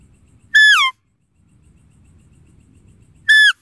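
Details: A deer repeats a short, falling, whistle-like call twice, nearly three seconds apart, each rich in harmonics, over a quiet low background rumble.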